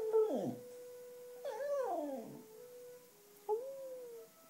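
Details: Sashka, a black female Cocker Spaniel that howls along to wind instruments, especially the clarinet; wavering, sliding howls that swoop down then rise, with a steady instrument-like tone sustained underneath, indoors.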